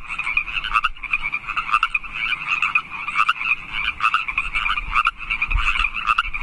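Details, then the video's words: Chorus of wild frogs in California Park at night, mid-March: many overlapping trilled croaks forming a constant buzzing wall of sound, with faint low rumble beneath. "Frog Song"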